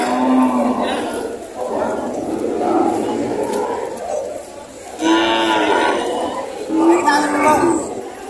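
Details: Cattle at a livestock market in Padre Garcia, Batangas, Philippines, among breeding cows and heifers on June 13, 2025: a few short, tonal lowing moos at the start, middle and end, over steady crowd chatter and background music.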